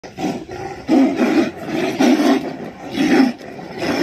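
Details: Tigers in a territorial fight roaring: three loud, harsh, snarling bursts about one second apart, each about half a second long, with a low, rough rumble between them.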